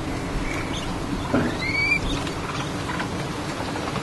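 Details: Capybara family with the father, a drawn-out whistled call sliding upward then levelling off, clear harmonic above, a fainter short whistle earlier, over steady outdoor background hiss.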